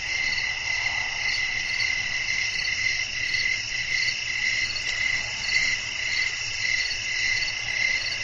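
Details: Crickets chirping at night in a relaxing natural ambience with blowing wind: dense, steady high-pitched chirps pulsing about twice per second, layered bands of trilling, over a faint low wind rumble.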